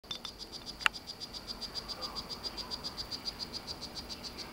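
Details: Captive male strawberry poison-dart frog of the Solarte morph courting a female: a steady train of short, high buzzy chirps about four per second. A single sharp click near the start.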